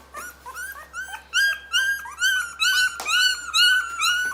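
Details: Rottweiler puppies 23 days old whine and squeal in high, rising-and-falling cries, several voices overlapping.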